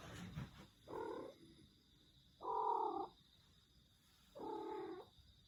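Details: Domestic cat giving its strange, unusual meows: three drawn-out, harmonic calls, each about half a second to a second long and spaced roughly one and a half seconds apart, over a faint steady hum.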